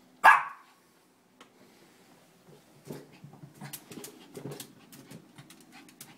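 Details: Shih Tzu indoors, worked up over balloons: one loud sharp bark at the start, followed by quieter rustling, scuffling and faint low huffs for the rest of the clip.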